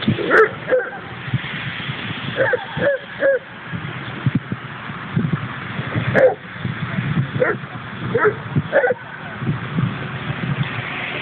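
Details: Play in the Lade dog park, Trondheim, Norway, where Leonberger Arnold romps with Pyrenean friends: scattered short yips and gruff barks come in small clusters against a constant low background rumble.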